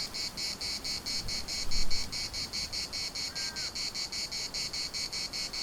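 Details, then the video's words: Cicadas chorus in the municipal park of Larnaca, a steady high buzzing pulsed about four times a second, with a brief whistled note from another bird and low wind rumble beneath. "CICADAS at the municipal Park Larnaca"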